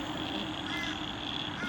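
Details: A dense frog chorus, a steady buzzing and trilling wash, in a wetland near Byron Bay, Australia, under a kilometre from the ocean, with a man's voice speaking.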